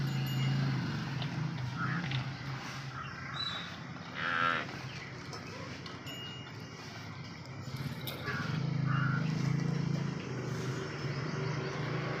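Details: Water buffalo being hand-fed and touched gives low, droning moos, one at the start and a longer one near nine seconds, over steady low rumble with people talking nearby.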